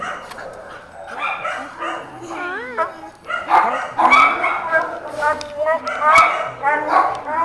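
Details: Husky/malamute mix shelter dog in Baldwin Park voicing his unusual human-like 'talking': short, sliding whines that dip and rise in pitch, including a wobbling warble midway, over excited human voices and laughter.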